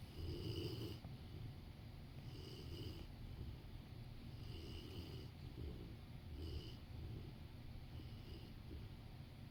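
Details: Rottweiler napping beside its owner on a sofa, snoring in soft, low rumbling breaths about once every two seconds, each breath with a faint raspy hiss on top, in a quiet room.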